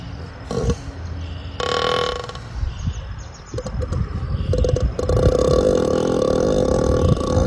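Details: An ox snoring heavily in rough, grunting bursts, deep rumbling breaths that grow harsher and more sustained toward the end, with a steady tonal hum running underneath.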